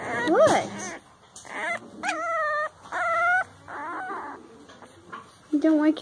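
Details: Puppies whimpering and crying in short, rising-and-falling tonal whines, several in a row with brief gaps, some background speech.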